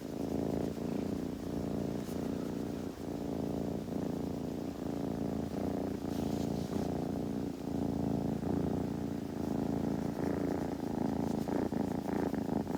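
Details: A kitten purrs steadily while grooming, the buzzing rumble pulsing about four times a second and softly rising and falling with each breath, with light rustling on top.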